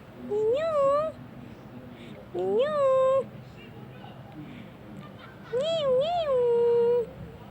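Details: Indoor meowing from Tarzan, a friendly black domestic shorthair male aged one year two months in Petaling Jaya, Malaysia: three rising, upswept meows spaced about two seconds apart, the last longer with a double bend.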